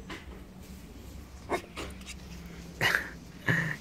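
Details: A female Chow Chow plays, giving short, sharp play barks with a whining edge while a woman talks to her and says she is angry.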